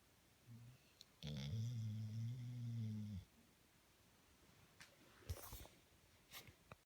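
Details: Sleeping pet dog gives one long, steady, low droning snore, followed by quiet room sound with small clicks and rustles.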